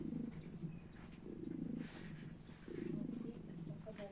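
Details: Domestic cats in Italy lying together and purring contentedly while being petted; a low, rumbling purr rises in two long swells with a short lull between, over soft room noise.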